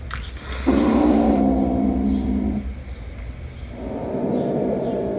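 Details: Domestic cats, the kitten Jumper meeting his mother again after one month apart; a low, rough growl lasting about two seconds, then a quieter rumbling stretch, over a steady low hum.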